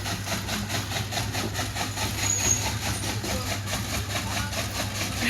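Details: Steady engine idling from a vehicle at a village farmhouse, with a pulsing mechanical rhythm and faint speech in the background; no animal voices stand out.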